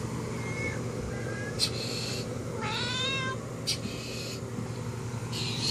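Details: Cat at a window calls to another cat outside. Short meows, then a clear rising-falling meow near the middle, over a steady hum of background noise.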